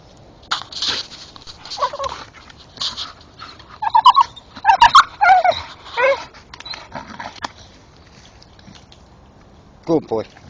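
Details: Staffordshire Bull Terrier, a male dog, in the dark chewing a tree stump and making odd noises; short high whiny, yelping squeals in bursts around the middle, with a man's voice encouraging him and chewing clicks.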